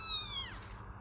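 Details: Kitten giving a single high, clear meow of about half a second, holding a steady rich tone before sliding downward and fading, with faint low background hum.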